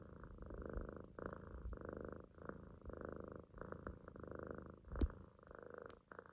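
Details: Relaxed Munchkin kitten asleep in a loaf on its owner's stomach gives low, rumbling snore-purrs in repeated breath-length bursts, with a soft click midway.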